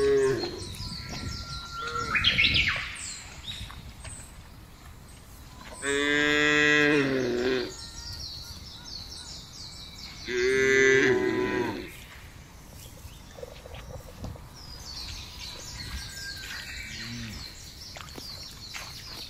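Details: Free-ranging tame cattle on wide open grassland, herded and grazed for fattening: two loud, long, harmonic moos several seconds apart, framed by frequent chirping and twittering birds.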